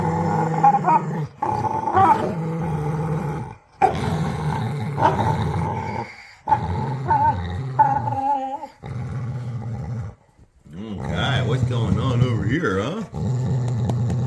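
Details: A dog at tug time makes strange noises: long bouts of low, rolling growls with moaning, whine-like overtones, broken by short silences, and a rougher, wavering stretch near the end.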